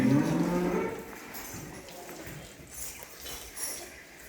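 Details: Cow on a large cattle and buffalo farm in Bangladesh, one low harmonic moo lasting about a second at the start, followed by farm background noise and faint voices.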